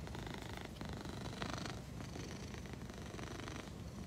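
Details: Purring Egyptian Mau: a quiet, even, low rumble with a regular fluttering pulse that holds steady throughout.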